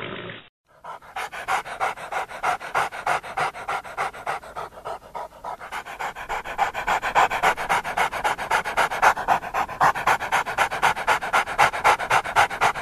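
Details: A cute dog panting fast and steadily, about four breaths a second, each a breathy rasp. The panting grows louder toward the end.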